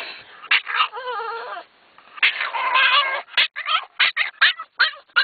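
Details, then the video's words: Two pet dogs in a car, over-excited on the way to the dog park: long wavering high whines and howl-like cries, then a rapid run of short sharp yelps and squeals. "the alien dogs - making strange noises"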